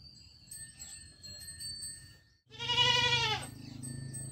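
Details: Goat kid bleating once, about a second of loud, quavering, nasal voice rising out of a low rumbling background with a faint steady whine.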